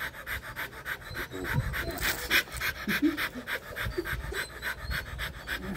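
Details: Rottweiler during mating, with rapid, somewhat uneven panting at about three breaths per second and brief human voices and a few knocks mixed in.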